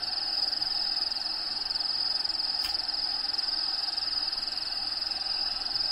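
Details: Feeder crickets in a bearded dragon vivarium, home of Diego, keep up a rapid pulsing high trill against played habitat sounds; a brief sharp click cuts in near the middle.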